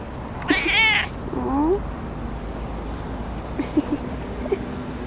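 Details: Tuxedo cat busily grooming indoors gives two meows: a loud, drawn-out harmonic meow lasting about half a second, then a shorter rising mew, followed by a few faint soft chirps over a steady low background hum.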